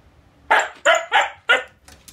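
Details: Scolded indoors after secretly eating a shrimp cutlet, a Siberian Husky talks back with four quick harsh barks in under a second, followed by softer trailing yelps.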